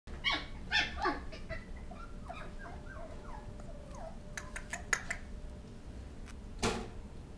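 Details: Dachshund giving a run of high, harmonic whimpers and yelps, loud at first, then a string of shorter, softer whines sliding downward, with sharp clicks and knocks near the end over a low steady hum.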